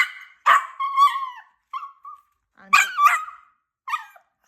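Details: Puppy talking back with yappy barks and whiny yelps after being scolded, as if protesting unfairness; short bursts in three clusters with gaps, and a person gives commands nearby.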